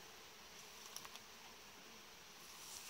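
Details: Steady buzzing drone of a honey bee colony in its hive, frames set warm-bed style; a quick cluster of three light taps near the one-second mark, then the hum swells slightly toward the end.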